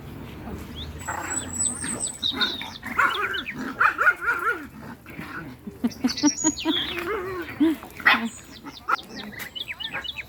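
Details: Chihuahuas from a home kennel on an evening walk give high, short yapping barks and whiny yelps in scattered bursts, loudest near the middle and toward the end, with small birds chirping and twittering throughout.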